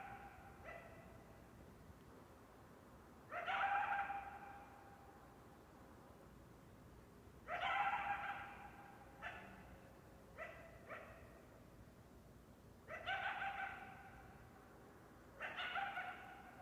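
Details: Coyote calling with sharp-onset, tonal bark-howls that hold briefly, alternating longer wavering calls with quick short yelps, spaced by a few seconds of near silence.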